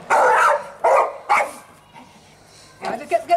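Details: Staffordshire Bull Terrier called Fudge at play in the sunshine on Mother's Day 2017: three quick rough barks in a burst, a lull, then softer yelping sounds toward the end.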